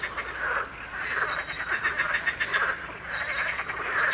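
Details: A dense chorus of marsh frogs and water frogs recorded on 21 May 2023, overlapping rattling croaks pulsing in bursts every second or so, with a steady mid-pitched chatter throughout; a great reed warbler also sings.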